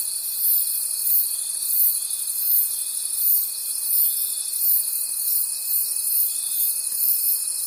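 A night chorus of crickets: high, shrill chirping that swells and fades in a steady pulse.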